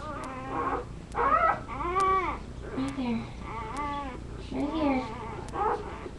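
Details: Labrador retriever puppies on a live indoor puppy cam; a rapid string of overlapping, rising-and-falling whimpers and yelps, about one each second, with soft room hum behind.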